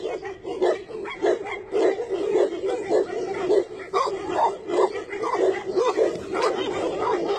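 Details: Tibetan Mastiff barking: a run of deep, somewhat irregular barks, about two per second, over steady background noise.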